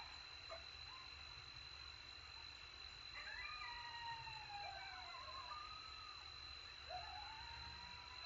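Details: Coyotes howling in Texas after a successful hunt, while feeding: a few quieter drawn-out howls that glide down and waver, joined by scattered short yips, against a steady high whine and faint background hiss.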